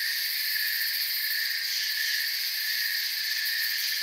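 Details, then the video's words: Chorus of crickets chirping in a forest, continuous high-pitched ringing made of many insects together, quick faint pulsing in the upper tones, uniform loudness over four seconds. "Forest Sounds and Crickets"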